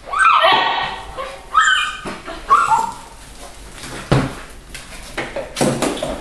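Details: Pedigree Siberian Husky puppies born 21 January 2013, filmed at eight weeks in the Of Arctic Glance kennel, Lot-et-Garonne, on 18 March 2013. Three loud, falling, whiny yelps about a second apart, then clattering and a few fainter squeaks.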